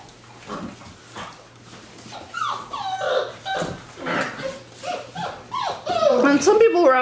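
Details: Six-week-old Wirehaired Pointing Griffon puppies, from a litter of three males and five females, whining indoors in a crate lined with newspaper, unsure in an unfamiliar setting; high, wavering whimpers with rising and falling bends, strongest near the end, over a low steady hum.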